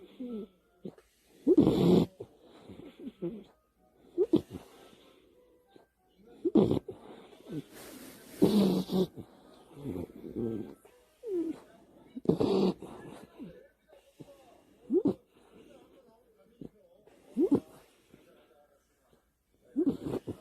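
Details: An American Cocker Spaniel snoring while asleep on a bed at night in the dark, with rough, breathy snorts at irregular intervals of about one to two seconds, described as human-like and somewhat pig-like.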